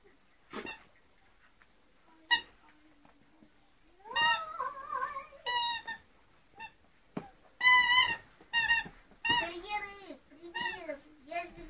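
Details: Two-month-old Scottish Terrier puppies whine and yelp in high, wavering, harmonic cries that rise and fall in quick bursts, growing busier after a quiet start, with a few sharp clicks and soft background sounds between calls.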